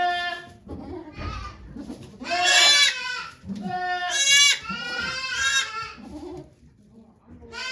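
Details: Birthing goat Okayu at Yoshigake goat farm in Japan, 3 May 2023, delivering twins while volunteers watch; a run of loud, harsh, strained bleats rising in intensity, then quieter calls and low voices.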